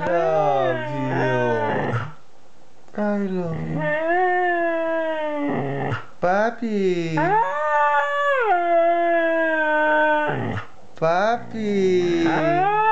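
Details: A two-year-old Siberian Husky talks in long, tonal howls, each phrase swooping up, then holding or sagging, with short choppy yips between longer wavering notes and quick gaps of silence.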